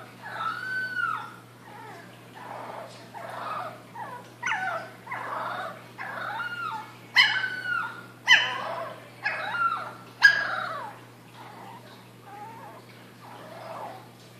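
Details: Female Boston Terrier puppy from a June 4th, 2013 litter, finding her voice, gives wavering, high howls with yips and whimpers between them.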